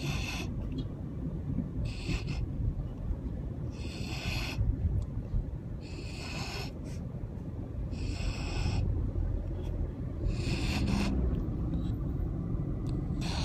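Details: Siberian husky snoring like a pig, recorded 10 August 2015: low rumbling breaths with a raspy burst roughly every two seconds over a steady deep hum.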